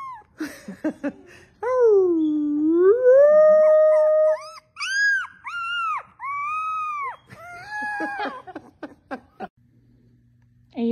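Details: Dog howling: one drawn-out wavering howl dips and rises, followed by a run of short, higher, arched yips and whines spaced roughly a second apart, ending in quiet.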